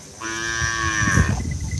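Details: Cattle at a karapan sapi bull-racing event at the Asemanis field, Pamekasan, Madura, East Java, Indonesia: a single sustained, slightly falling moo lasting about a second, with crowd murmur and low rumble behind.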